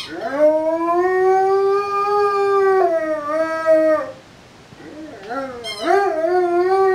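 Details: A three-year-old Rhodesian Ridgeback sings like a wolf: a long, slowly rising then level howl with strong harmonics, a pitch step downward near three seconds, a short pause, then wavering, bending howls resuming with a high yelp.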